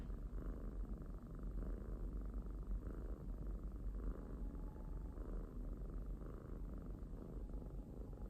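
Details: Pet kitten purring steadily, a low continuous rumbling drone with gentle pulsing rhythm throughout, soft and close, with no other sounds.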